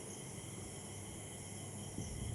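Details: Evening insect chorus of crickets in Chakdah after an evening rain, with continuous layered high-pitched trilling and a low hum beneath, plus a brief soft thump near the end.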